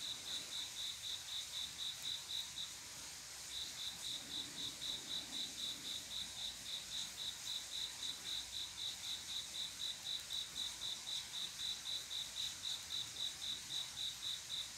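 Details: Nighttime summer cricket chorus, males singing to call mates: a rapid train of high, clear chirps at about four per second, briefly pausing near the start, then resuming steadily; a faint low murmur underneath.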